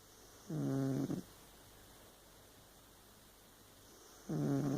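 A Burmese cat snores in low, rattling breaths, one near the start and another at the end.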